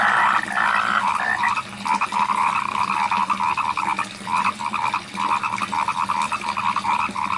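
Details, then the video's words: Frogs calling in rice fields, a dense chorus of many overlapping croaks forming bursts of pulsed calls, steady and continuous throughout, with a softer layer of higher calls above. "SUARA KODOK DI SAWAH | The Sound of Frogs in the Rice Fields"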